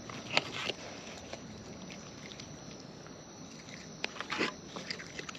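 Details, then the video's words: Wild raccoons feeding close up, crisp clicking bites and wet smacks clustered in short bursts, with quieter pauses and a steady low outdoor hiss underneath. "Wild Raccoons & ASMR Chewing Sounds"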